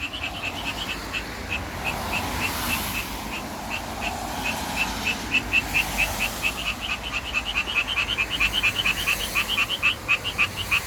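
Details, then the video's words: Japanese tree frog courting in a city, vocal sac swelling like a balloon; sparse raspy notes that speed into a rapid chattering run, with passing traffic whooshing loudly in the background. "청개구리 목 터져라 구애"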